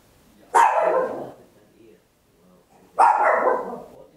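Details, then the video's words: Papillon, a tiny dog, barking very loud at home, captured in stereo on an Olympus LS-11: two harsh, broadband barks about two and a half seconds apart, each trailing off over roughly a second, in a quiet room. "Tiny Dog Barking Very Loud, Papillon"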